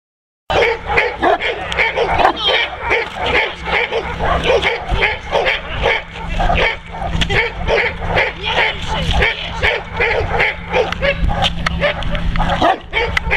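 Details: Neapolitan Mastiff named Kuba, a working dog, protecting his owner from multiple agitators: deep, rapid barks repeated several times a second almost without pause, with shouting voices mixed in and a steady low hum beneath.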